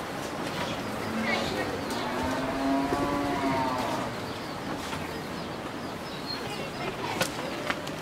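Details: Eleven-month-old Friesian heifer calf, offered for sale in Pabna, Bangladesh, gives one drawn-out harmonic moo lasting about three seconds, holding steady then sagging at the end, while people talk and traffic hums in the background.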